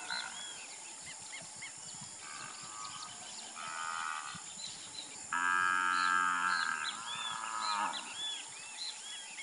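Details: Nelore cattle raised for beef on a rural Brazilian farm: a series of three moos, short at first, then a loud, sustained low bellow lasting over two seconds, over steady chirping of birds.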